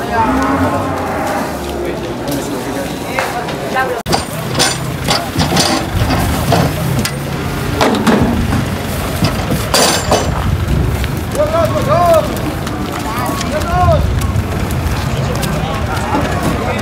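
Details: Large cow being unloaded at a livestock market; a deep, drawn-out low moo fills the opening seconds, followed by busy crowd chatter, shouted French voices, knocks and clatter, with short rising vocal yelps near the end.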